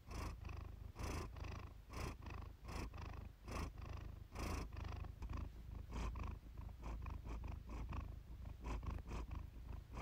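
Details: Pet cat Iris purring during a relaxation purr-therapy recording, a continuous low rumbling drone broken into soft rhythmic breath pulses about once a second, slightly quieter and less even toward the end.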